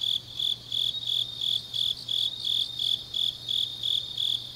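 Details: Grass insects of a late autumn night in Changnyeong, Korea, giving bright, high pulsed chirps about three times a second, slightly uneven, over a soft constant buzz and low steady hum.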